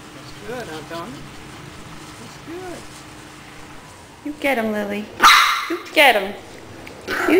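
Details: Dogs at play: Lilly, a Maltese puppy, with Tony, a Shih Tzu puppy, and Harlen, a Siberian Husky. Soft whining yips early on, then a loud burst of high, sharp yaps and barks, with a person's voice urging them on.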